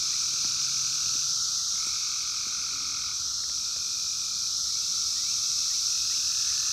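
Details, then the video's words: Wild Brood X periodical cicadas, 17-year emergence of 2021, captured by phone: continuous shrill, hissing drone with a layered buzzy band that swells and fades over a couple of seconds, no other sounds standing out. "sounds of 17 Year Brood X Cicadas 2021 in the wild"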